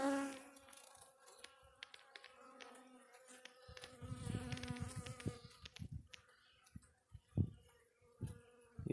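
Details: Russian honey bees in a hive on a black stand, opened for the first time and checked for eggs and capped cells; a droning, harmonic-rich hum dominates the first half, then fades under rustling and clattering of frames being handled.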